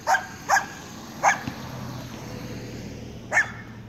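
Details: Young Weimaraner Jake, seven months old, barks during a training session: two quick barks, a third after a pause, then one more after a long silence.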